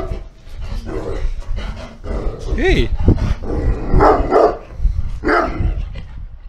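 A large Sarplaninac lets out a few low, rough barks in quick succession, each one short and throaty. A person's voice runs through the first half, partly overlapping the dog.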